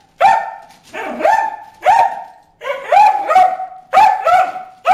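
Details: Bruce the dog at the water hole barking at fish, loud repeated yelping barks, some paired in quick doubles, about one per second with slight pitch rises.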